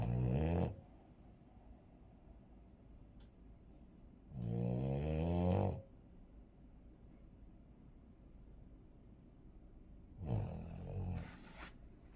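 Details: Napping French Bulldog Blanc, drowsy but wanting attention, gives deep, rattling, low snores roughly every five seconds, each lasting about a second, with quiet breathing in between inside a small room.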